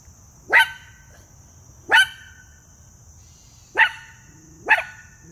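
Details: Male Miniature Poodle talking with his friend before going out. Four sharp single barks at irregular intervals of one to two seconds, with a steady high electronic tone in the background.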